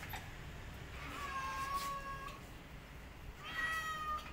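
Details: A mother cat defending her kittens from a white cat makes two drawn-out meows, the first softer and wavering, the second louder and steady, over a low background rumble.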